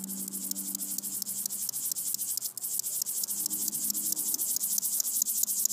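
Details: A bow-winged grasshopper (Chorthippus biguttulus) stridulates, giving a dry, high, rapidly pulsing buzz.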